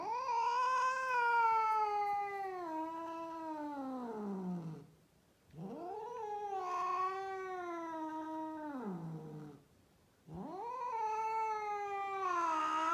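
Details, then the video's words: A female cat, rescued and living in Mumbai, India, caterwauls in three long, moaning wails of four to five seconds each. Each wail rises, wavers, then slides downward, separated by brief silences. "Female cat making sound"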